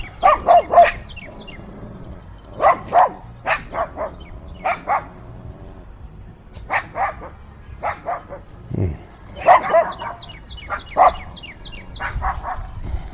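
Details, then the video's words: Fierce dog barking, recorded binaurally in heavy wind: repeated bursts of two to four harsh barks separated by short pauses, with thin, high, falling bird chirps scattered between them. "Fiercely Barking Dogs"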